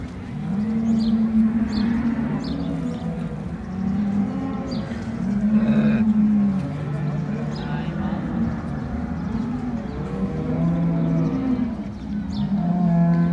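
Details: Brown Swiss cows at the joint Appenzell cattle show, 2022 centenary Saturday; several long, low moos with arched pitch overlap one another, over steady crowd noise and metallic clanking.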